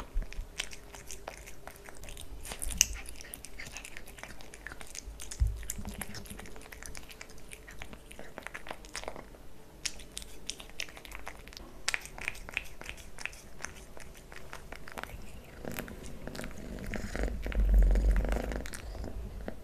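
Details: Kitten named Leo eating pate wet cat food, stick treats and creamy treats indoors, close up: steady rapid wet chewing, licking and smacking clicks, several per second, with a louder, denser burst of munching near the end.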